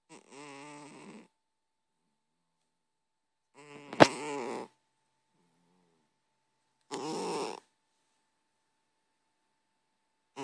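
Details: Sleeping domestic cat snoring: buzzy, harmonic breaths about a second long recur roughly every three seconds, with one sharp click during the second breath and a faint steady hum in the background.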